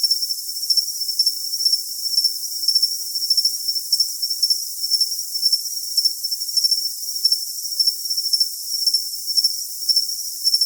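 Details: Cricket chirping steadily in high, thin pulses, roughly two per second, each pulse a shrill ringing buzz laid over a constant bright hiss with no low sounds at all.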